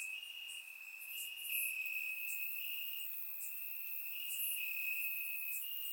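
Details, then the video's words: Night chorus of crickets in Bulgarian grass on a warm summer evening, surround-recorded: an unbroken shrill trill holding near one pitch with small jumps, plus a fizzing haze of many distant insects higher up. "Cricket Sounds - Crickets Chirping at Night"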